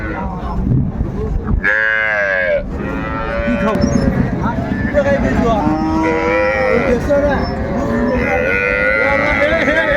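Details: Cows with calves at the Raniganj haat cattle market in Dinajpur, 30 May 2024: a loud, rich moo near the two-second mark, then several lower, drawn-out moos, over constant crowd chatter and market bustle.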